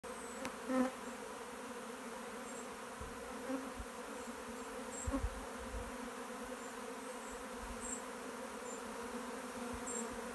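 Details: Small honey bee swarm landing on a warm sunny day in Ireland; a steady, dense low hum fills the whole recording, with a few brief louder buzzes of individual bees passing close.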